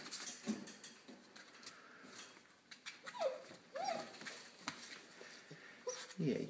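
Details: Six-week-old Siberian Indian Dog puppies from a new litter, indoors in a small room: brief high whimpers that rise then drop, scattered between a woman's soft, cooing speech.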